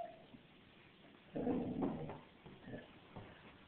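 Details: A 6-month-old female black Labrador Retriever puppy, vocalizing while holding a toy, gives a brief, low, whiny growl followed by a few soft little yips.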